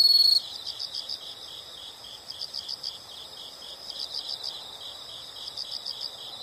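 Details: A soft, rapid pulsed chirping from insects in nature. It is high-pitched and steady, with small swells in loudness. A brief, loud shrill burst opens the passage.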